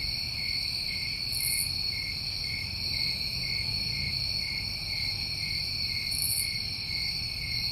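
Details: Crickets recorded in summertime New England, a steady unbroken trilling chorus with a bright, continuous ringing tone and a higher overtone, plus two brief hissy high bursts at one and six seconds over a low background rumble.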